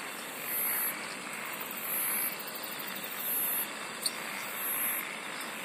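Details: Insects singing in nature: very high, buzzy pulsed trills in short bursts about every one and a half seconds, over a steady dense hiss of chorusing insects.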